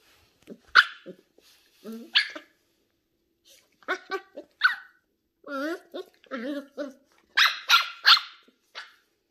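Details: Shetland Sheepdog puppy Ollie, ten weeks old and curious about new things, mixes scattered high yips with wavering whiny yelps, ending in a cluster of louder sharp barks, with a person speaking nearby.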